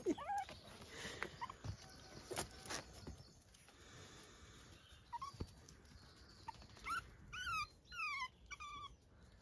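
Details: Puppies on a regenerative farm in County Kilkenny, Ireland, chirping as they meet a step too high to climb. Early soft clicks and thuds, then a run of short, bright, downward-sliding squeaky chirps near the end, with a person talking.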